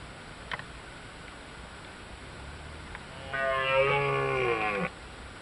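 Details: Deer rutting in Bushy Park on 26 September 2011, two animals involved; a single long, harsh, droning bellow with a buzzy, harmonic-rich tone lasting about one and a half seconds after quiet, with faint background hum.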